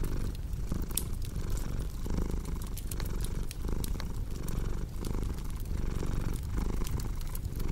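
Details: Relaxed cat purring in a strong, throaty rumble that swells and dips with regular breaths, while a fireplace crackles and pops lightly around it.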